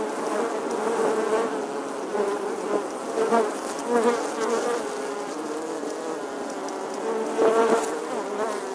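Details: Honey bees nesting in the stonework of an 11th-century English church wall, filmed in August 2020: a dense, steady swarm hum centred low-mid, with individual bees' whines swelling and sliding past the wall every few seconds.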